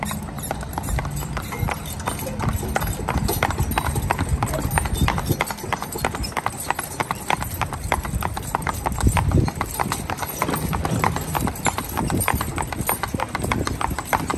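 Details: Hoofbeats of a spotted draft/Haflinger cross team, a mare aged 8 and her 4-year-old son, both 14 hands, being driven; steady rapid clip-clop on hard ground throughout, with low rumbling and some speech in the background.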